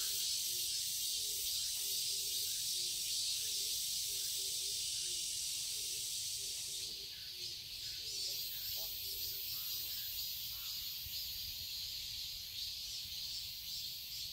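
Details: Cicadas buzzing without pause in a summer garden in Seoul, Korea; the shrill drone thins and shifts partway through as low hooting notes repeat early on.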